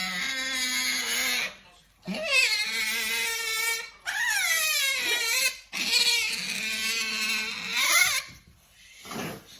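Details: Qoo, a hungry otter kept as a pet, whines her funny yumyum noise indoors: long, shrill harmonic cries that bend and swoop up and down in pitch, in three or four drawn-out bursts.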